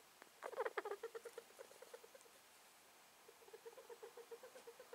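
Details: Male rat, possibly ill, sneezing and snuffling; quick series of short squeaky clicks, about four per second, a loud cluster early, a pause, then a softer even run.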